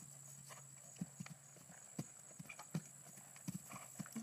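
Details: Female Percheron horse schooling a 3'9" fence, first attempt at that height; clear, heavy hoof strikes, some doubled, come roughly every half second over low steady hum and light hiss.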